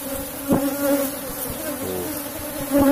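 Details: Asian honey bees, a strong colony kept in a wooden box hive, buzzing during a honey harvest; a steady low droning hum with an overtone, swelling briefly near the start and again at the end.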